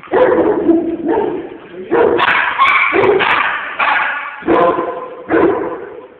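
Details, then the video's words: Puppies, including a roughly seven-month-old Husky/Shepherd mix, playing together at a puppy playgroup in Cedar Rapids, Iowa; repeated short barks and yips in bursts about every second, with human voices mixed in. "Puppies Playing at Playgroup"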